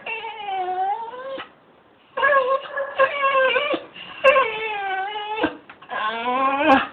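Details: A pet dog breaking into song, filmed on a phone: long, drawn-out, tonal wails that dip and then rise again, arriving in four bursts separated by short pauses, with rich harmonics and no other clear sounds.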